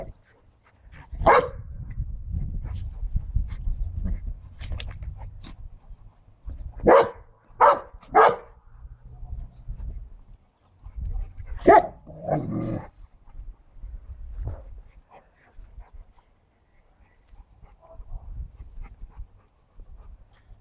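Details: Siberian Husky puppy playing rough with a Cane Corso and a Bernese Mountain Dog: low rumbling growls through the first five seconds, then sharp, loud barks in a quick burst of three and another pair a few seconds later, quieter grumbles after.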